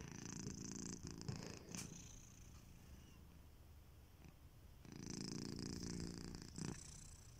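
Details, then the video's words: Snoring from a sleeping house cat called Kitiboy: a purr-like low rumble fades out, a quieter stretch follows, then a strong breath-rumble returns near the end. "Kittyboy: The snoring cat"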